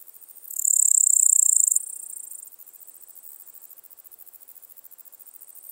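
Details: Pholidoptera littoralis recorded on 11 July 2023 in Seewiesen, Germany: one intense high, sizzling buzz lasting over a second, fading into a steady train of soft rapid clicks.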